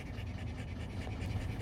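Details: Rottweiler puppies, three months old, newly separated from their mother and moved to a kennel to live with their father, pant in quick, steady breaths about five per second over a low, continuous rumble.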